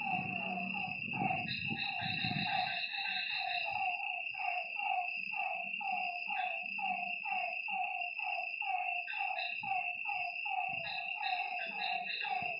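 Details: Night chorus of lakeside frogs, a stream of falling, slightly husky notes in quick succession with overlapping voices. A continuous shrill insect hum runs throughout, and low rumbling thumps sound near the start.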